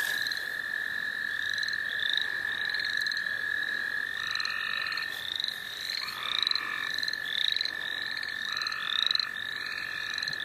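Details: Frogs calling together in the St. Olaf College Natural Lands. A continuous level trill runs throughout, with repeated high rising chirps above it and occasional lower buzzy bursts lasting about a second.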